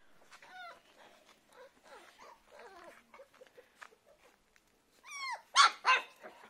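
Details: Puppies giving thin, high-pitched whines and squeaky yelps, scattered and uneven, ending with a louder cluster of sharp rising squeals.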